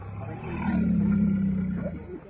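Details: A tiger rescued from a well in Chittar gives a deep, drawn-out roar that swells and holds for about a second before fading.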